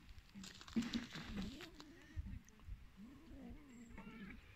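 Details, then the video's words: Hungry abandoned cats calling in long, low, wavering moans that rise and fall, in two drawn-out stretches with a short gap between, over a soft background hiss. "Hungry Abandoned Cats"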